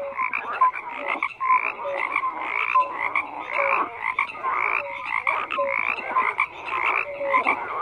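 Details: Many frogs croak together in a busy chorus. Raspy pulsed calls and brief clear piping notes repeat roughly every half second to one second, in steady waves without pause.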